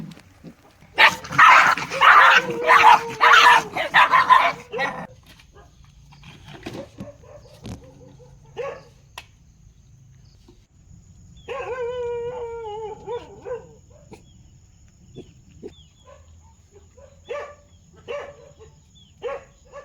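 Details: Dog barking in a loud, harsh burst of rapid barks for about four seconds, then a drawn-out whining howl with clear overtones, followed by scattered single barks against a quiet background.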